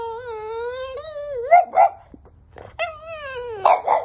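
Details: Five-month-old French Bulldog puppy Bear, wanting in the bed, lets out a long steady high whine that bends upward into a yip, then repeats the whine before two short barks.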